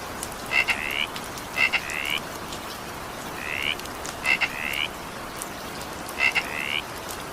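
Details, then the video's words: Steady rain hiss carries a frog's short rising croaks, often preceded by a pair of sharp clicks, sounding in clusters about every one to two seconds during an evening shower. "20 minutes evening rain sound effect with frog sound."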